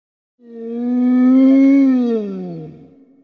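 A wolf gives a single smooth, drawn-out howl that swells, rises slightly, then slides down.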